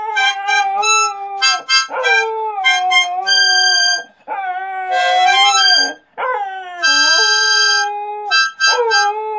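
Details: With harmonica music playing, a dog sings in drawn-out howls that dip and swoop between sustained reedy harmonica chords, with brief breaks every couple of seconds.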